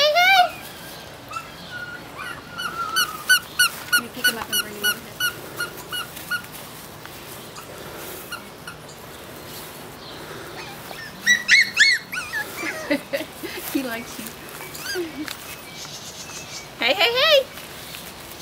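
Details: Litter of toy-size Toy Schnauzer puppies from a Black and White Parti female and a Salt and Pepper male, playing outside; shrill, squeaky yelps come in quick harmonic bursts, then scattered whines, with a woman calling to them.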